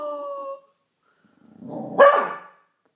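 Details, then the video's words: A Beagle named Pauly, howling at the neighbours in what is described as his first howl, ends a level tonal note, then after a pause gives a low rising growl-like swell that peaks in a bright, falling howl. "Pauly's first howl"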